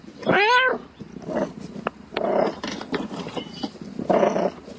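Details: Cat; mating call; calling for a mate at night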